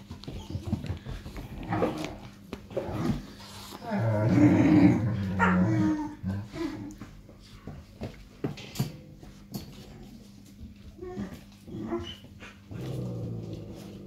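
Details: Five-and-a-half-week-old Irish Wolfhound puppies at play indoors, giving low rumbling growls that swell around the middle, mixed with short yaps, scuffling and some human speech, over a faint low hum.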